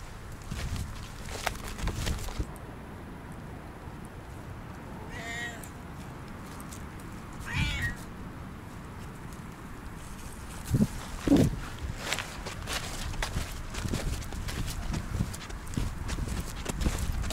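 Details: A Siamese cat, one of two house cats, on Christmas Eve gives two drawn-out, harmonic meows about two and a half seconds apart, between rustling, footsteps and handling thumps.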